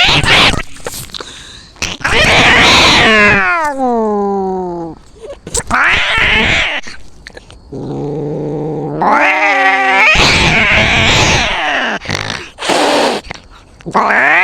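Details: Cat fight heard up close from a cat's point of view: loud, drawn-out yowls that slide downward in pitch, broken by harsh hisses and scuffling bursts, then a low moaning wail and further screeching cries.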